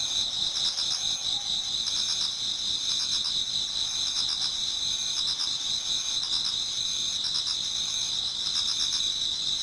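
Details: Insects singing in a Japanese garden as an autumn night turns to dawn: a dense, unbroken high ringing chorus, with bursts of quick pulsed chirping recurring every couple of seconds.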